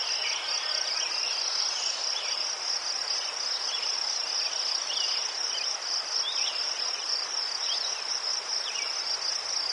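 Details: Crickets near chrysanthemums in Ukraine produce a continuous high, finely pulsed chirping that never breaks, over a soft wash of further distant insect chirps.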